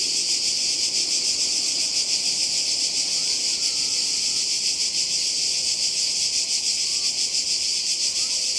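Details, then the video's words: Cicadas on the seaside in Croatia, summer 2020, filling the air with a steady high buzzing drone; a brief whistled bird note rises and levels off midway, with another short whistle near the end. "Kroatien Zikaden und Meer"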